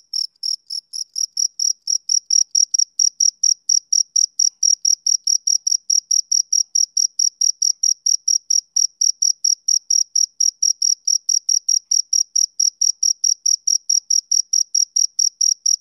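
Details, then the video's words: A male cricket chirps continuously, the high pulses starting slightly softer, then settling into a loud, metronome-like train of about three to four beats per second with nothing else audible. "Cricket Chirping Sound Effect"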